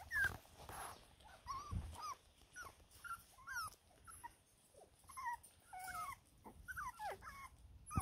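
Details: Six-week-old Border Terrier puppies whimpering: many thin, high whines that bend up and down, overlapping in short bursts every second or so over a quiet, rustling background.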